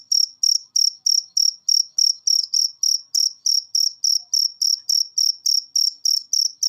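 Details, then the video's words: Cricket chirps recorded to train cage birds to sing more; piercing high-pitched chirps repeat quickly and steadily throughout with no other sounds. "Masteran Jangkrik Ini Bikin Burung Peliharaan Anda Gacor"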